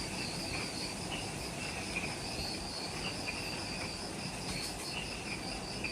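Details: Twilight insect chorus in the jungle at the trailhead of Mount Omoto, Ishigaki Island, Okinawa, Japan, just after sunset: a continuous high shrilling band with a fainter lower trill, set against a steady rushing background hiss.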